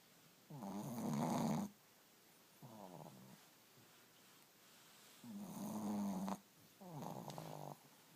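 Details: Loud snoring from two sleeping dogs: long grating inhalations followed by softer buzzing exhalations, each burst lasting about one second, in a quiet room.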